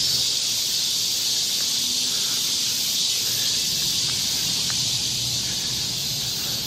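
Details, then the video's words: Cicadas in summer chorus in the forest of Galsan Park, Mokdong, Yangcheon-gu, Seoul: a dense, steady high-pitched hiss fills the air without pause, a continuous shimmering wall of insect sound with no breaks. "매미울음소리. 한여름의 청량제와 같은 천사들의 찬가. 갈산공원 매미들 숲속의 합창"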